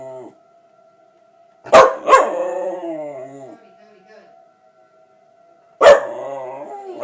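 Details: Pet dog Cody howling at a tornado siren: a sharp bark-onset howl that slides downward and fades, then silence with the siren's thin steady tone, and another loud bark-howl rising at the end.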